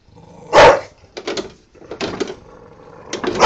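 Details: An angry female Bulldog facing a lawnmower gives one loud bark, then a series of rougher, shorter barks and growling bursts, over a background engine drone.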